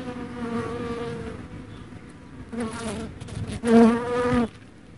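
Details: Dark honey bee humming close by with a continuous low buzz that waxes and wanes. It swells into two louder bursts toward the end before dropping away.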